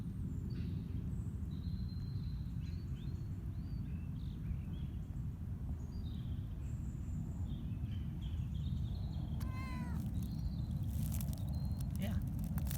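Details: Casper, a cat on an outdoor leash walk in improving weather, new to being outside and moving carefully; one short, bright meow with a bending pitch sounds midway, over steady wind rumble with scattered small bird chirps.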